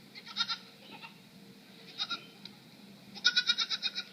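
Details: Goat giving a strange, puzzling call: short pulsed nasal bursts near the start and again around two seconds, then a quick run of six rapid stuttering pulses at the end, over a quiet low hum.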